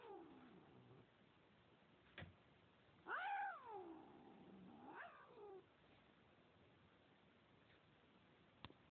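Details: Domestic cat recorded on an Android phone, uttering several long, wavering meows that bend up then down, one loud drawn-out cry followed by a shorter one, plus faint earlier mewing and a couple of sharp knocks against low background hiss.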